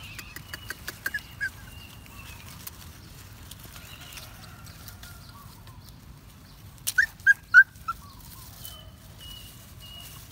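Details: Puppy out walking in the woods, happy, letting out about four short, sharp, high yips in quick succession late in the stretch, after soft crackling and rustling sounds earlier on.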